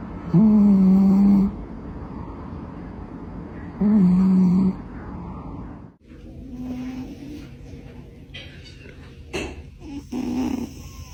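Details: Sleeping pet cat snoring indoors: two loud, low, droning snores about three seconds apart with a steady buzzy pitch, then quieter breathing with faint rustles and a few soft clicks.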